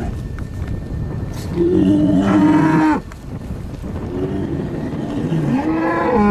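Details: Bull on a farm on the Welsh Borders giving a lower, rougher moo that wavers and fades, then a softer, rising call later, with background noise throughout.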